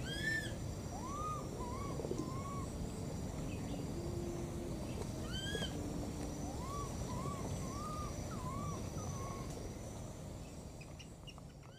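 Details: Two young wild monkeys keep crying out for their mother, giving clusters of short arched, rising-falling whistled calls in bursts of two or three, against a continuous low rumbling background.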